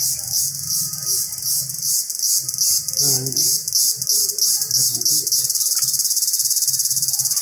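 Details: Jungle chorus of Indian cicada: an intense high metallic buzz pulsing rapidly and steadily throughout, briefly joined by a soft low voice-like murmur midway, then continuing as an even rattling drone.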